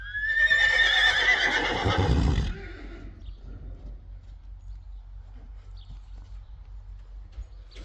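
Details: Friesian horse in a stable, loud whinny lasting about two and a half seconds with wavering harmonic pitch, starting high and fading lower, followed by quieter rustling and faint movement sounds.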